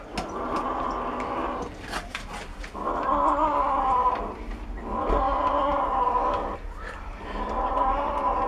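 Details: Cat growling while it eats bones, low drawn-out harmonic growls in four bursts, each lasting one to two seconds with short gaps, plus faint background chatter and a few sharp clicks.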